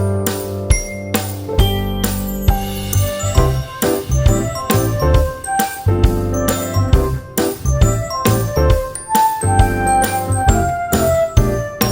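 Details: Bright music with chiming bell and piano-like notes in a steady beat, with no animal sounds heard.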